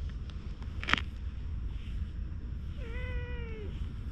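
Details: Stray cat, filmed on a GoPro while it rolls on the ground seeming to ask for something: a single level, drawn-out meow with rich harmonics, preceded by a sharp rustle, under steady low background rumble.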